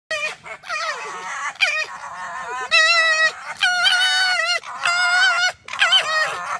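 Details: Several foxes yelling while one pushes an arm away: a run of loud, harmonic, wavering yells, some bending up then down, in about eight bursts separated by short pauses.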